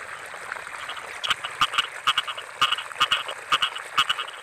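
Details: Paddy-field frogs calling in the rainy season, with sharp paired croaks in quick irregular bursts, several per second, over a steady background hum of other callers.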